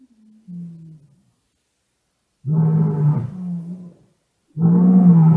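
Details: Black-maned lions calling at night outside a room at !Xaus Lodge, Kgalagadi National Park, South Africa, 9 January 2018, captured on a cellphone: a soft low moan, then two deep, loud, rumbling roars with a brief pause between them.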